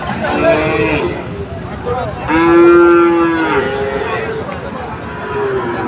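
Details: Sahiwal bull at Ambari cattle market (haat), Bangladesh, where Chattogram traders buy bulls on Monday 24 July: a loud, drawn-out harmonic moo lasting about a second, with shorter moos from other cattle before and after and a constant crowd murmur.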